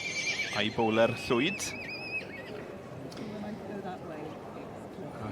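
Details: Welsh Cob yearling colt whinnying at a show: two shaky, quavering bursts that fall in pitch, followed by a high steady whistle-like tone, with people talking and crowd murmur in the background.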